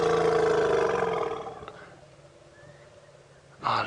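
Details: A younger wild African elephant behind a bush at Djuma Game Reserve, South Africa, calls at sunset in late October, seemingly seeking the rest of its herd: a loud, low, buzzy tonal call fading after about one and a half seconds, then a brief voice.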